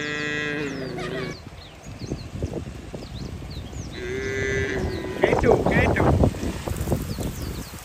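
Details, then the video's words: Herded cattle heading to the barn in the rainy season; a moo at the start and another around four seconds in, between clattering hoof-like knocks, splashes and chirping birds. "Bunyi sapi"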